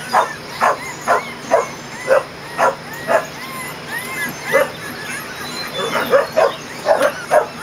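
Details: Twenty-day-old Kerry Blue Terrier puppies from Brandy's litter, out for the first time in an outdoor play area on June 20, 2014, yelping in a steady series of short, high yips about twice a second, some with whiny upward bends.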